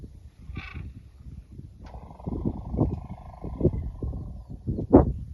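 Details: Elephants making noise while running about: a sustained, droning tonal call held for about two seconds over repeated low thumping and rumbling, ending with a short, sharp squeal.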